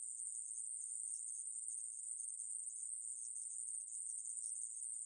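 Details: Continuous shrill buzzing of a conehead katydid (애매부리), from a 2020 reference recording, steady and very high-pitched with only slight flickers in intensity, in an otherwise silent background.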